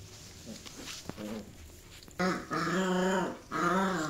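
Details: Border Collie playing a biting tag game; after a quiet start, three long, drawn-out harmonic growling whines follow one another over the last two seconds, each steady and slightly wavering.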